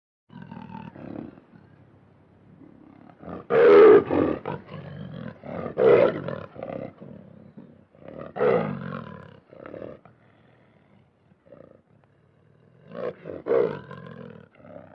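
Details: Lion (Panthera leo), growl.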